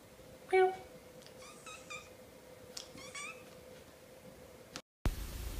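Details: Kittens meowing indoors: a short, faint high meow followed by several soft, thin mews spaced about a second apart, over a steady low hum and room noise.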